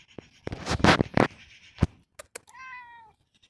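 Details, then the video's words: Roger, an expressive domestic cat, gives one clear, tonal meow about half a second long, holding steady and then dipping slightly at the end. Several loud thumps and clattering knocks come just before it. "Meowy Roger"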